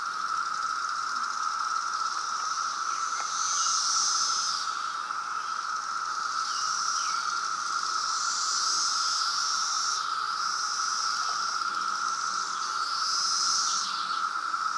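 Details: Loud periodical cicada brood emerging in Reston, Virginia, in 2017: a steady, unbroken droning chorus at one even pitch, with higher hissing bands that swell and fade above it.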